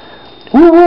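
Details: Eva, a female pet dog, howls indoors toward the camera to say she needs to go outside to the bathroom; a short, loud, steady voiced tone with rich overtones bursts in after a quiet stretch.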